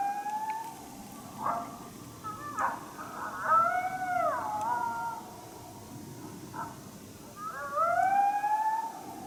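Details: Coyote, unseen but heard, displeased at a person's presence during a coyote hunt at St-Andrews on 1 March 2019: short sharp barks break into wavering, drawn-out howls that rise and bend, over steady background hiss.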